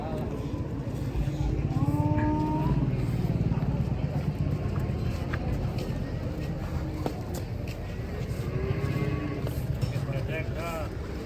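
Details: Cattle being loaded onto a truck by their handler: a deep, drawn-out low moo swells in the first seconds over a steady rumbling engine, with clattering, shouted voices and handling noises throughout.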